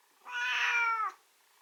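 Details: Pet calling indoors, possibly hungry: one drawn-out, steady, harmonic-rich cry of nearly a second that dips slightly at its end, over a quiet background.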